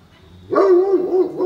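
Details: Great Pyrenees, a giant dog breed, on a rainy morning walk at Oyama Yuen Harvest Walk. A single drawn-out, tonal whine with a wavering pitch lasts about a second.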